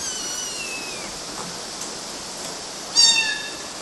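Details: Climbing kittens on mosquito nets in Galati, Romania, June 2012: a long thin descending mew at the start, then a brief louder high-pitched squeak near the end, over a hissy background.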